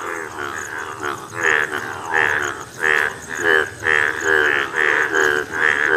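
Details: A yellow Indian bullfrog (Hoplobatrachus tigerinus) calls with loud, throaty, pulsing croaks, repeated in quick bursts under a steady chorus hum.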